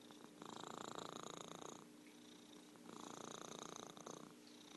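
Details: Purring from Merlin, a pet orange tabby cat, heard as two long throbbing phases, each about one and a half seconds, separated by a softer, lighter rumble, over a faint electrical-sounding hum.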